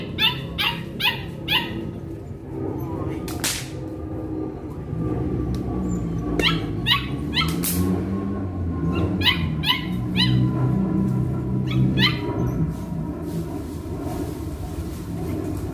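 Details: Hunter the Belgian Malinois being introduced to bite work in dog training, barking repeatedly in quick bursts of two or three, with pauses between volleys, over low steady background noise.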